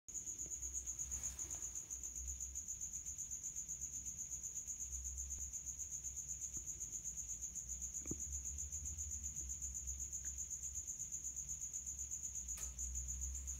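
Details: A male house cricket (Acheta domestica) stridulates in high heat from a resonant hiding place, a steady high, pure trill pulsing rapidly without pause; it is an escaped feeder cricket.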